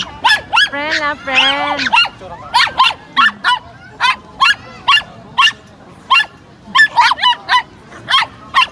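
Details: Pomeranian meeting a new friend, opening with two stretched whining cries, then a rapid string of sharp high barks, roughly two to three per second with brief pauses, continuing to the end.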